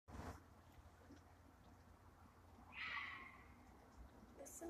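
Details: At night, a fox yowling in the distance lets out one hoarse, strained, raspy scream lasting about half a second and sliding downward as it fades. A steady low hum and rumble fill the rest, with a brief human voice nearby.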